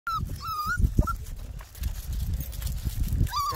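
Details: Eleven-week-old Miniature Pinscher puppies outdoors among leftover snow on a mild day, 21 February 2021; a thin high whine opens, a short one sounds near one second, and another rising whine closes, over low wind rumble.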